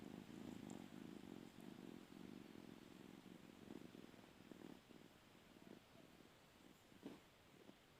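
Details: Cat wanting a spot on the bed purrs loudly at first, the fast throbbing rumble softening and breaking into shorter bursts over the last few seconds, with a light click near the end.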